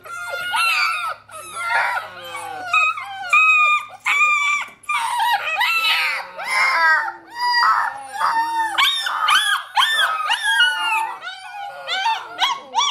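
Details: Six-week-old Alaskan Malamute puppies howl together in high, wavering, overlapping voices, calling for their reluctant mother to feed them.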